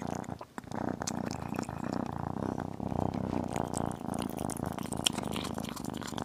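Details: Tiny kitten eating chicken, with a steady low rumbling purr that pulses throughout. Soft wet chewing clicks and smacking sound over it, recorded close up indoors.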